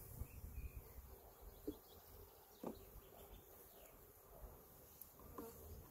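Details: Western honey bees (Apis mellifera) fill the air with a steady, low droning hum around an opened hive as protein paste is added, bees sitting calmly on the combs.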